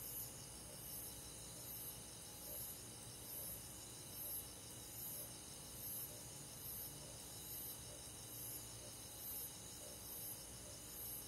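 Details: Countryside crickets at night in midsummer, a regular train of high, short chirps about once a second set against a continuous wash of buzzing insects.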